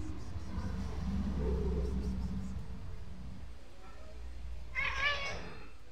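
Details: Black stray street cat seen in a corner gives one short, bright meow with a slight rise and fall near the end, after a stretch of low traffic rumble and faint background murmur.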